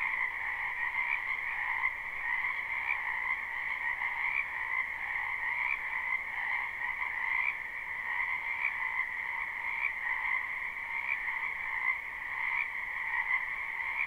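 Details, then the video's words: A wetland full of frogs in spring, captured live with no looping; overlapping croaks form a continuous, even chorus in two bands, rippling slightly in intensity, with faint low rumble early on. "Ambient Noise for Sleep Frogs"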